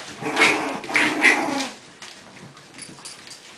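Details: English Bulldog puppies play-fighting, four together with Kona stepping in as referee; three short, bright, harmonic yips close together in the first second and a half, then quieter scuffling and soft squeaks.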